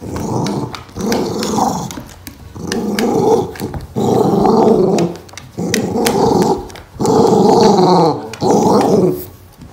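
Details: Boca, a pet poochon dog, playing footsie soccer inside the house, growls in long rough bursts of about a second each, repeated with short pauses, a few sharp knocks and bumps of play in between.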